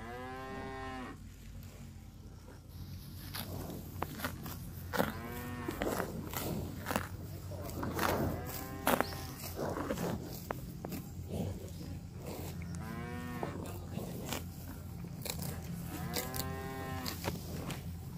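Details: Cattle roaming a park of fresh grass while grazing give four low, drawn-out moos spread across the stretch, each with rich stacked harmonics, between sharp crunching and tearing sounds of grass being bitten.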